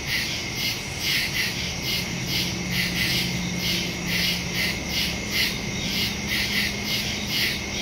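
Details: Crickets in the woods at night, recorded September 2, 2023 on a Samsung Galaxy S22 Ultra phone with a Shure MV88+ stereo microphone; a dense chorus of high pulsing chirps, about two to three beats per second, over a steady shrill whine.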